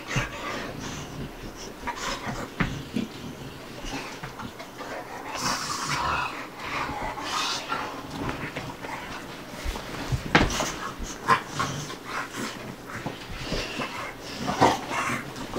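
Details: Bubba, a two-year-old American Bulldog, and Ruby, a five-month-old Dogue de Bordeaux, playing together; scattered breathy, noisy huffs and pants at an uneven pace, with soft scuffling between them.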